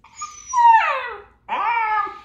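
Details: Pet dog whimpering in reaction to the buzzing "Z" sound it hates: two tonal, whining cries, the first high and long and sliding downward, the second shorter, starting low and then levelling off. The room is otherwise quiet.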